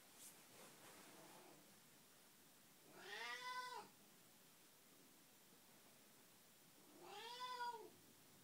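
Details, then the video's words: Betty, a house cat with Alzheimer's, calls out at 6 am: a faint murmur at first, then two loud, rounded meows about four seconds apart in a quiet room. "Betty says Meow"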